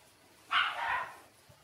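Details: One brief, harsh, noisy squeal lasting about half a second comes from six-day-old Shiba Inu puppies Ôkami and Ikkyu, rising sharply and fading quickly in a quiet room.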